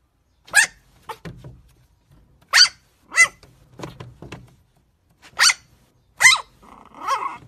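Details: Chihuahua puppies giving sharp, high-pitched yaps in quick single bursts, about seven across several seconds with short silent gaps, some followed by softer low grumbles, ending in a drawn-out whiny yelp; quiet indoor room.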